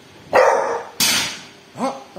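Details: A pet dog called Bull barks at a thief: two loud, harsh broadband barks about half a second apart, followed by a short rising whine-like sound.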